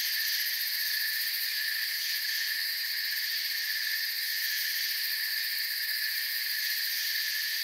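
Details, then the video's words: Steady cricket chorus from a forest, many overlapping shrill trills merging into an unbroken high drone with a subtle fast pulse near the top, even volume throughout. "Forest Sounds and Crickets"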